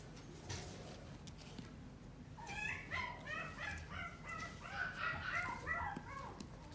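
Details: Chihuahua at a pet shop in Omihachiman, Japan: a quick run of short, high, tonal whines and yelps, closely repeated for several seconds over a low steady background hum.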